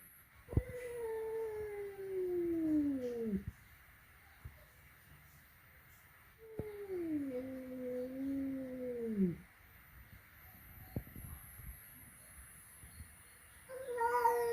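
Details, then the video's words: First encounter at home between flat-nosed and peak-nosed cats: two long, wavering, moaning yowls about three seconds each, pitch dipping and falling at the end, with soft knocks and a room hush between. "Reaksi pertama kali kucing flatnose bertemu dengan kucing peaknose"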